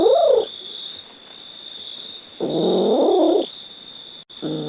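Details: A pet cat meows three times: a short rising-falling call, then a fuller meow lasting about a second, then a clipped call at the end. A faint constant tone hums underneath.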